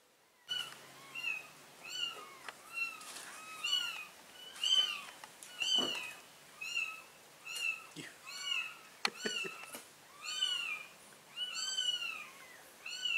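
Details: Mother cat moving her four kittens to a new place; loud, high, arched mews repeat about once a second, each bright and tonal with rich overtones, with a few sharp clicks and rustles between calls.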